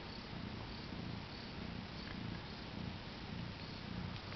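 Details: A domestic cat that has just given birth to four kittens, purring gently: a low, rumbling rhythm of soft pulses, even and continuous, with faint background hiss.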